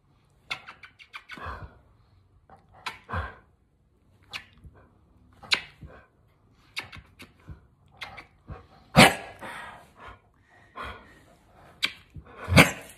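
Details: A 17-year-old male dog that hates being kissed gives irregular clipped barks and throaty grumbles indoors, with louder snappy outbursts toward the end, separated by snuffling breaths and brief pauses.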